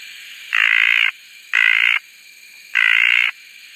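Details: Red tree frog, also called desert tree frog, Litoria rubella: three harsh, buzzy, drawn-out croaks about half a second each, spaced roughly a second apart, with steady faint hiss between calls.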